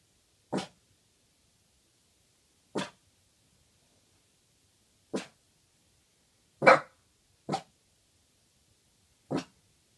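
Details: A Boston terrier gives short, sharp barks spaced a couple of seconds apart in a quiet room in the middle of the night; Boston terrier.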